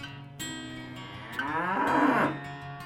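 A cow gives a drawn-out, swelling moo over soft guitar music.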